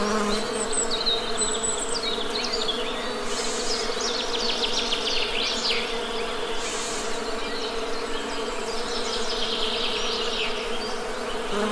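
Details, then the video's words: Steady Western honey bee hum, low and layered, holding at an even level, while faint bird chirps and soft twittering drift in the background. "Best Honey Bee Sound!"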